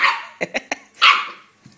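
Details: A Rhodesian Ridgeback and a Scottish Terrier playing together; a sharp high bark, then three quick short yaps and another loud bark, following a person's shout.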